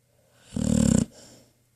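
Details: Single buzzing, rattling snore from Trauma, a 10-year-old pit bull dreaming in her cozy bed, followed by a softer exhaled breath in a quiet room.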